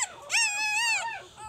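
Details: A female puppy from Jig's litter at three days old lets out a single drawn-out, high whining squeal that rises, holds and then falls, following a faint short whimper.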